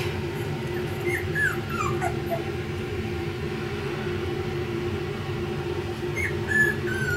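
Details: A few brief, high, downward-sliding whimpers from four-week-old F1b Pomsky puppies, part Pomeranian and part Siberian Husky, clustered early and again near the end, with a steady low hum filling the background.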